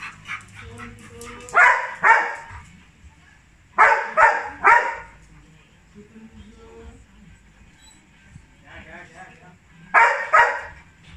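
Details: Labrador Retriever named Johnson greeting his dad with excitement: clusters of two or three sharp barks separated by quieter gaps holding high whines and faint murmured voices.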